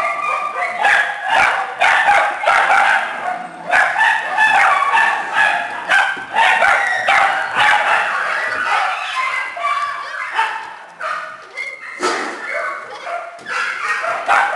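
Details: Small dogs and puppies in a shelter kennel barking together: a dense, overlapping chorus of sharp, high yaps and yips, nearly continuous, with brief lulls around eleven and twelve seconds.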